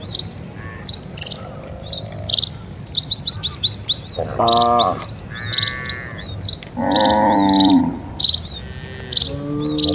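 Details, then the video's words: A herd of dozens of cattle crosses a calm rural road. Three low moos come in quick succession over almost constant high chirping from birds. "SUARA SAPI"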